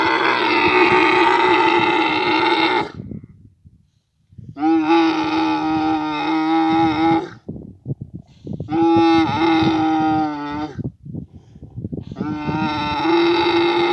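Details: Camel in Abu Dhabi during mating season, giving drawn-out, rich harmonic groaning bellows of two to three seconds, repeated four times with brief gurgling pauses between.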